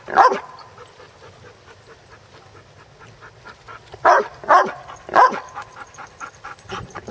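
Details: Basset Hound barking while playing: a sharp bark at the start, then quiet, then a cluster of three loud barks around the middle, with panting and scuffling between them.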